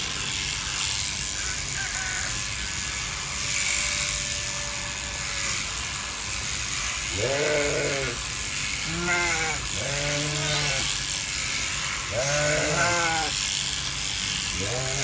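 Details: Sheep bleating in winter during shearing with large electric clippers: five wavering, nasal bleats in the second half, some doubled, over a steady buzzing hiss of the clippers.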